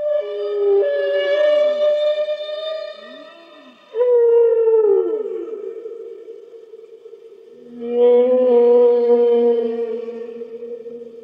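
A humpback whale sings long, sustained moaning tones, some sliding downward, in slow resonant phrases.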